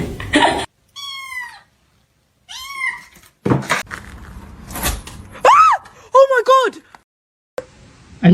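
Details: Domestic cat giving several rising-and-falling meows, some short and bent, one longer and sliding, broken up by people talking in surprise and sharp clattering noises.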